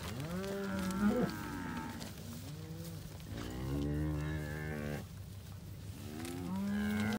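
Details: Hereford cattle, 71 cows with Braford calves, recorded 29 October 2021. Sparser, deep lowing with clear gaps: a few long, low moos and some higher bawls, separated by short quieter stretches.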